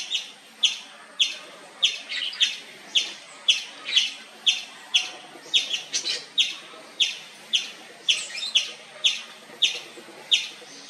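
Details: Indian palm squirrel in a long nonstop chirping bout: high, sharp chip notes about twenty in eleven seconds, roughly evenly paced but with occasional extra overlapping chips, steady and insistent.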